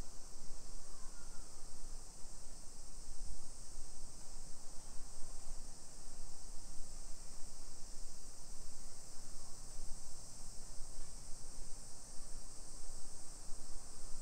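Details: Cicadas singing on a summer afternoon, 1 PM, 28 July 2021, in suburban Nisshin near Nagoya, Japan: a continuous shrill buzzing wash persists unbroken behind heavy low-pitched walking and traffic rumble.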